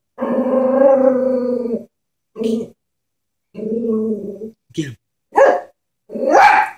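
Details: Chihuahua scared of a stuffed horse toy makes a long, steady, tonal growl, a brief yelp, another sustained growl, then quick sharp barks.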